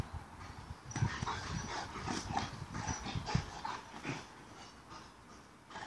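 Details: An Alaskan Malamute greets the neighbours with a run of low, chattering woo-woo sounds and soft whines.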